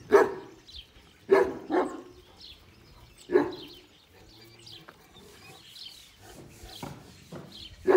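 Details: Kangal dogs at a Kangal breeding farm: about six loud, deep barks in irregular bursts, some in quick pairs, separated by short quiet gaps with faint background noise.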